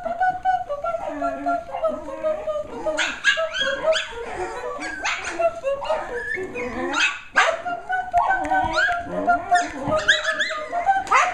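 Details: Litter of nine Shetland Sheepdog puppies going wild while hearing the Popcorn Song for the first time; dense overlapping high yips, squeals and whines with sharp bark bursts, over steady music tones underneath.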